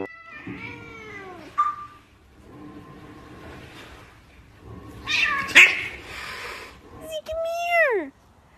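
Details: Domestic cats meowing: a drawn-out falling meow, a brief higher cry, then a loud harsh squeal and a final long descending meow, with human voices in the background.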